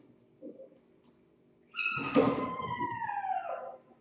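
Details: Kittens in a cat room in the morning, picked up by a Logitech C920 webcam during their lively morning play. After a soft squeak, a long drawn-out meow slides gradually downward in pitch over about two seconds, over faint room hum.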